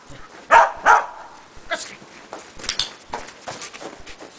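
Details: Shetland Sheepdog in agility training on a box with a jump grid; two quick barks in succession, followed by softer yips, footfalls and clattering movement.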